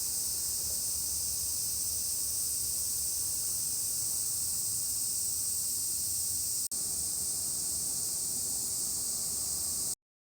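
A cicada gives an unbroken, high, hissing drone, like radio static.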